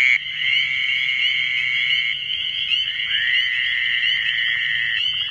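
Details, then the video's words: Fowler's toad calling in the New Jersey Pinelands: long, nasal, buzzing bleats, one after another with hardly a pause. "Fowler's toad"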